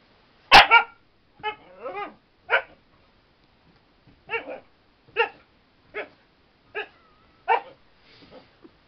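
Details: Spirit, a female Siberian Husky, bouncing playfully as if giving CPR, gives a string of short harmonic barks and yips, about ten across the stretch, spaced roughly every half second to a second, some with wavering rising-falling tone.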